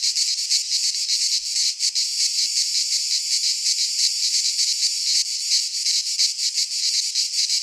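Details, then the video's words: Midsummer chorus of cicadas in Greek pine woodland, a continuous high rasping buzz with quick throbbing pulses and a brief dip in intensity near the middle, no other animals or voices audible. "Cicadas singing in midsummer - Nature sounds from the Greek fauna - Sounds of cicadas"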